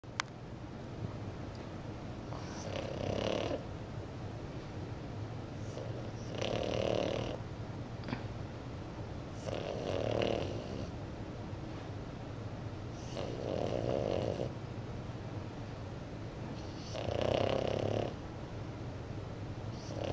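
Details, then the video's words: Puck, a French Bulldog puppy napping in the morning, snores steadily: five full raspy, nasal snores arrive about every three and a half seconds, each a swelling rough breath with quieter breathing between, and a sixth begins at the end. "Frenchie puppy snores like an old man"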